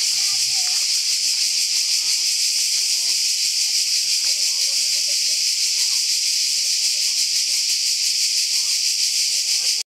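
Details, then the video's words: A dense wall of cicada noise on a secret mountain path near the sea, a harsh, high hiss throbbing steadily for the whole stretch, with scattered speech from walking adults and children underneath before it cuts off abruptly. "Loud cicadas on a secret path"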